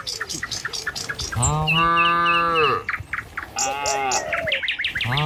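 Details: Cattle of a tame village herd walking along a village road toward the pen on a morning; a long drawn-out moo with stacked harmonics, plus shorter lowing calls, amid chirping birds and footsteps.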